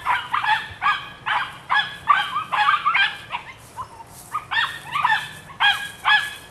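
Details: Nine-week-old female puppy of the Rodin/Katana litter barks in quick, uneven volleys of high, nasal yaps, roughly two a second, with brief gaps between bursts.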